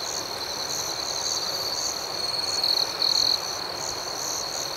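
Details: Nighttime cricket chorus outdoors: a continuous shrill ringing tone with rhythmic, evenly spaced pulses of higher chirps above it, and a brief louder close trill burst just after the midpoint.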